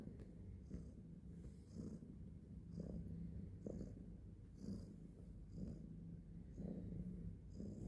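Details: Pet cat purring quietly and continuously, the deep rumble rising in gentle breathing cycles about once a second, with faint background hiss.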